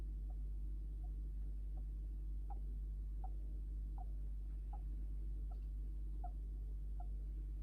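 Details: Tiny evenly spaced chirps from a kept Djungarian hamster, sounds described as sleep talk or snoring, pulsing roughly every 0.7 seconds against a steady indoor hum.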